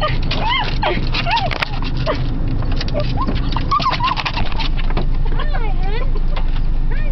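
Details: Female Beagle excitedly welcoming her returning owners: rapid, looping whines and sharp yips in quick bursts, mixed with a person's voice and a low background hum.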